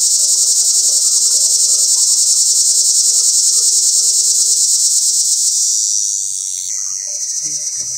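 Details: A cicada calling from up in a pear tree gives a loud, continuous high-pitched buzz, its mating call, pulsing rapidly without pause.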